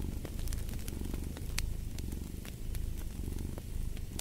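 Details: Steady rumbling cat purr with a brief dip midway, accompanied by bright popping crackles from a fire in a fireplace.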